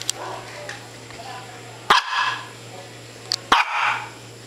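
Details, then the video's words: Japanese Spitz, a male pet dog, gives two sharp single barks about a second and a half apart, each a loud burst followed by a brief fading tail, with a steady low electrical hum and a quiet human voice beforehand. "Japanese Spitz barking"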